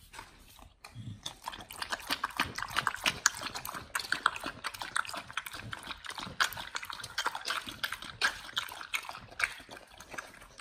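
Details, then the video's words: Raw-fed dogs eating raw chicken breast and duck feet, ASMR close-up: dense continuous wet chewing and smacking, steady rapid bites after a brief quiet start. "Dogs eat RAW Chicken Breast+Duck Feet [ASMR]"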